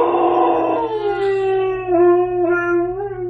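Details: An Alaskan Malamute howls while upset, opening hoarse and breathy, then settling into a smooth, drawn-out tone that wavers, dips and rises again toward the end.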